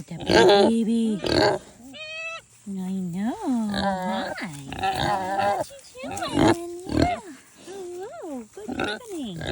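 A Kunekune pig gives a string of nasal honks, short oinks and high, arching squeaks.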